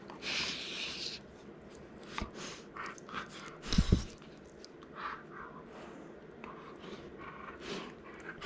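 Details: Excited and mouthing playfully, Cookie, a male Golden Retriever pet born April 2019, huffs in short breathy snorts and pants indoors. A louder thumping scuffle sounds near the middle, followed by quicker panting bursts.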